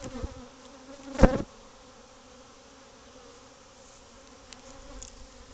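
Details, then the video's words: Bees nesting in a void within a covered patio of a house, becoming agitated; a continuous low buzzing drone with harmonic bands, plus one loud thump near the start. "Bee Hive In Your House"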